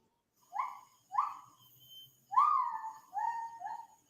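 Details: Lar gibbon singing in the wild, heard but unseen in dense habitat, a lone gibbon calling out: five clear hooting notes, each swelling and sliding downward, the middle one longest and loudest, with a quiet gap between the first pair and the rest.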